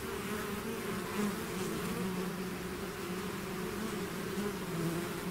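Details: A bee swarm emerging from its hive fills the air with a steady, many-voiced buzz, wavering hum tones rising and falling as bees fly close.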